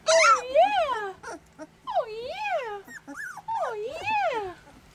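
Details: Puppies 18 days old from a litter of eleven, eyes open, walking around and chewing on each other: three loud, drawn-out whining yelps, each rising then falling in a wavy arc, about one second apart, with a woman speaking softly between them.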